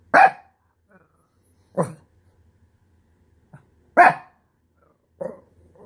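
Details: Shih Tzu dog frustrated after losing its couch space, throwing a tantrum: four short, sharp barks spaced roughly two seconds apart, with one faint yip between them in a quiet setting.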